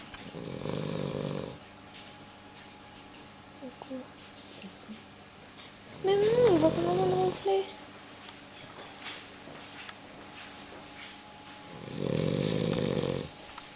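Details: Bandit, a Cavalier King Charles Spaniel, snoring while asleep indoors; two long buzzy snore breaths about eleven seconds apart, with a child's voice and a higher squeaky sound in between.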